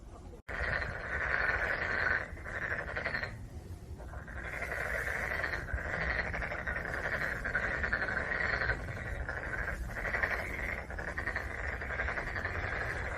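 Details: Black-spotted pond frogs calling together in a dense chorus of rasping, pulsed croaks that run almost unbroken, with short lulls near the start and around the fourth second.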